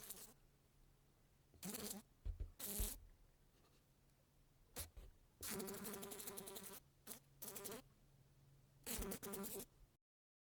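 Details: A housefly buzzes on a window in short, intermittent bursts, a harsh droning hum that starts and stops.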